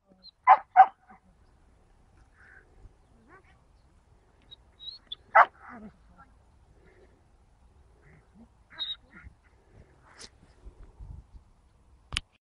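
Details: During training at Lazany, Belgian Malinois female Mendy gives a few sharp, isolated barks: two close together at the start, one more after about five seconds, with quiet gaps and faint clicks between.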